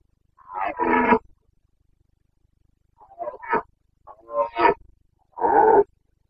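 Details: Carpathian red deer stag rutting in the Bucovina mountains, Romania, breeding season, 29 September 2022: four rough, harmonic roars in separate bursts, the first and last longest, with short silences between and no other sounds.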